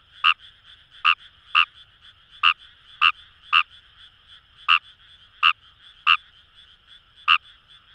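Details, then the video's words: In Itoshima's Kamo River paddy fields, Fukuoka, Japan, Fejervarya kawamurai gives about eleven clipped croaks roughly every half to one second, some close together, set against a constant droning chorus of more frogs. "Wild Frog Call | ヌマガエル"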